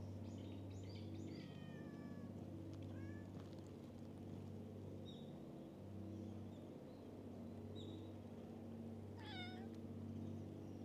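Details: Stray cats playing in a flower field on a cat island give several rising-then-falling meows near the start and one short meow near the end, over a steady low engine hum.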